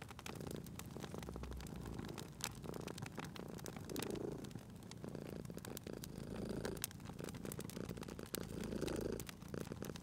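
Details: Sleeping domestic cat purring beside a crackling fireplace indoors; a low, soft rumbling purr swells and fades in slow breaths, partly masked by dense popping and snapping fire crackles throughout.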